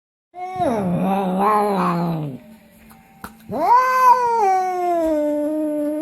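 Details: Domestic cat making odd vocal sounds while eating: a long wavering meow-like wail, a short pause with a click, then a second drawn-out rising and slowly falling cry.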